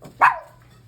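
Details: Pomeranian girl, pet being teased with a pig snout and told to sit: one short, sharp bark that starts high and slides quickly downward, then quiet, with faint room noise after.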